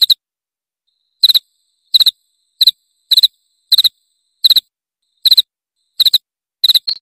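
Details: Cricket chirping meant to repel rats, high and clear, each burst made of a few rapid pulses, spaced about every half second to second over silence, with one brief extra chirp at the end.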